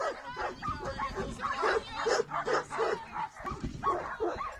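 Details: Bracco Italiano named Simon at an agility camp in Celnice, June 2019, giving rapid excited barks and yips in a run of about two and a half per second, with some speech mixed in.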